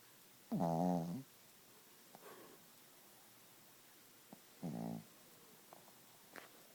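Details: Gidget, a sleeping Chihuahua, snoring loudly indoors: two short, nasal, buzzing snores about four seconds apart, each lasting under a second, with faint soft breaths and small clicks in the quiet room between them.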